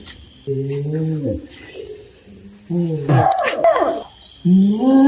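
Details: Orangutan uttering a series of moaning, tonal calls, some flat and some bending downward, one mixed with a rougher, noisier burst, over a continuous background hiss.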